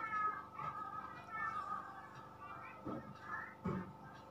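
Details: Indonesian village kittens, 20 days old, from a litter of four (two plain white, two black-and-white) born on 31 August 2020 in a house attic. Thin, high, wavering mews overlap at first, then two sharper, louder mews near the end, over a steady low hum.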